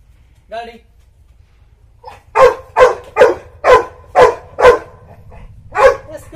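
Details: Labrador Retriever during obedience training in Karnataka, India: seven loud, sharp barks in quick succession at roughly half-second intervals, with a short faint yelp before them and a man's voice giving commands.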